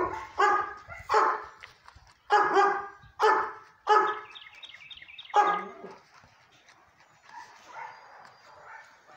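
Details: Cakes the sable German Shepherd barks in a loud, ringing series of five deep, harmonic-rich barks about a second apart, then falls quiet while faint chirps and soft background noise remain.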